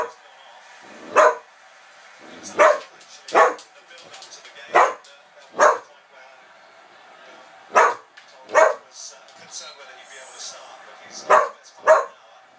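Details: Whippet barking excitedly in short sharp barks, some in quick pairs, about ten over twelve seconds with uneven gaps and faint softer yips between.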